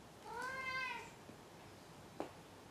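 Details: A pet cat indoors meows after catching a toy, a habit before rolling onto his back, apparently proud: one clear, drawn-out tonal meow rising slightly then falling, followed by a faint tap.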